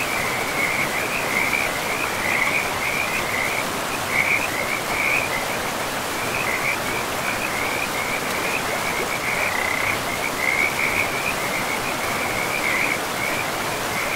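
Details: In a pristine forest with moss-covered ground beside a river, frogs keep up a continuous chorus of quick, trilling croaks in short bursts, layered over the even hiss of flowing water throughout.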